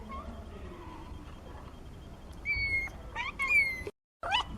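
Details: Several 17-day-old kittens, part of a litter of four born to the cat Nina, give thin, high-pitched mews that rise and fall, roughly three or four short calls in quick succession over a low background hiss.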